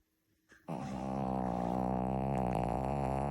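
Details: Long snore from a pet Shih Tzu in a small room, starting after a brief quiet moment and continuing as a steady, deep, buzzing drone with a faintly wavering pitch until the end.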